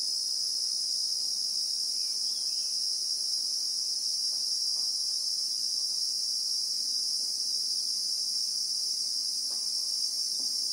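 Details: Christmas beetles (Anoplognathus) in South African bushveld among acacias, recorded in real time: an unbroken, even, high-pitched shrill drone filling the whole stretch, with faint soft ticks low in the background.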